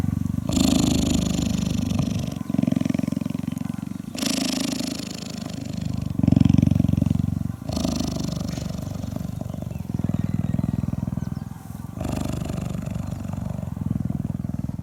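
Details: Hand-raised female African cheetah at a rescue center in 2015 purring while grooming a volunteer's neck and head, showing affection; a deep, continuous rumbling purr in long pulses, switching every couple of seconds, with close rustling.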